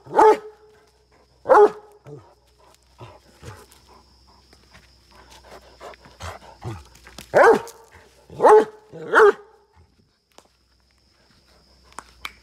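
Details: Rana, a Great Dane kept on a farm in Chikkamagaluru, Karnataka, India, barks aggressively: loud deep single barks in bursts, two near the start and three close together around the middle, with quieter huffs and rustling between.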